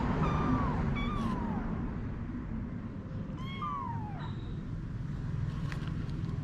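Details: Mother cat Anna and her kittens, domestic cats: a run of short, high meows, each bending down in pitch, several close together early and a cluster near the middle, set against continuous low-pitched rumbling noise.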